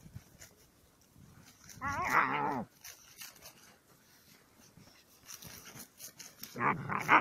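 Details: Dog on an evening walk with Ken, Sally and Yanika: a drawn-out, wavering, harmonic whining cry lasting under a second, then quieter scuffling and a second shorter strained whine near the end.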